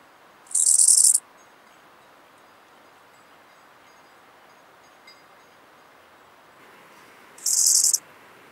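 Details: An Eisentraut's bow-winged grasshopper sings in Muhrtal, Austria, on 9 October 2020: brief, high, hissing rasps of about half a second, several seconds apart, with faint background hiss; the recording was noise-reduced.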